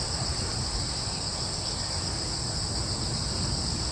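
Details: Cricket chorus in a wood on Yeongjong Island, Korea: unbroken, even, high shrill trilling, with a fairly strong low rumble of breeze underneath.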